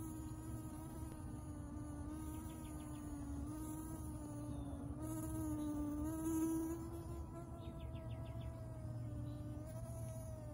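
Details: A bee-fly, the bomber fly Heterostylum robustum, drinking nectar at a butterfly-bush (Buddleja), gives a steady, droning wing buzz that wavers gently in pitch, like a small vacuum cleaner.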